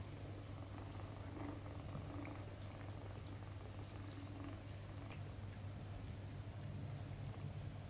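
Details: Domestic kitten playing with its mother cat indoors; a steady, low, continuous rumbling purr runs unbroken through all eight seconds, with faint scattered clicks and rustles of movement above it.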